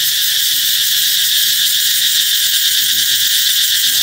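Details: Ringing cicada song heralding the coming summer: an intense, even, high-pitched buzzing wall of sound, with faint low chattering sounds around the third second.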